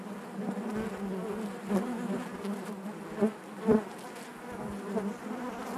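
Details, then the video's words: Honey bees buzzing inside their hive: a steady low drone with a strong hum band and stacked overtones, swelling in brief louder bursts as individual bees pass close, around 1.7, 3.2 and 3.7 seconds. "bees therapy hive natural buzzing sound"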